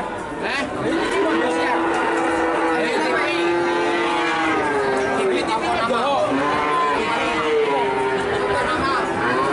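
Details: Cattle lowing in drawn-out, level-pitched moos lasting several seconds each, mixed with people talking nearby and general crowd noise.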